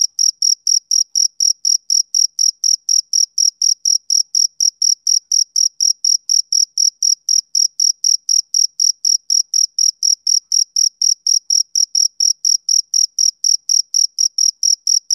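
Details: Rhythmic chirping of a male cricket on summer evenings, a long unbroken train of bright, high-pitched pulses repeating roughly four times a second, very regular, over a silent background.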